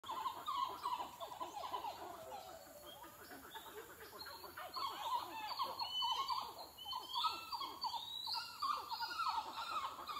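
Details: A group of rescued, critically endangered San Martín titi monkeys sings its morning song around a mission centre in the Peruvian jungle, a dense, pulsing run of rapid repeated notes that rise and fall.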